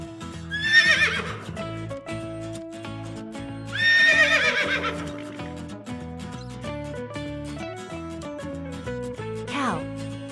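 A horse gives shrill, quavering neighs that tail downward, heard over steady background music.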